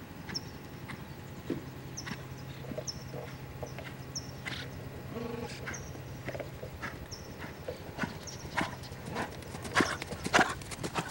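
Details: Lusitano stallion Lavrador walking, hooves knocking in a loose, irregular rhythm over a steady low hum, with short high chirps and a louder cluster of clattering near the end.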